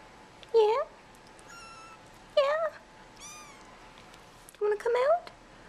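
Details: Bottle-fed kittens crawling out of their tent in a nursery at feeding time, fed every four hours; three short, high rising mews spaced about two seconds apart, with a soft voice nearby.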